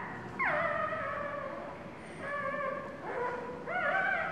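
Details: Newborn puppy, two days old, crying while its mother sits on it; thin tonal whimpers sliding down then holding steady, three drawn-out cries with rich harmonics and a faint high whine in the background.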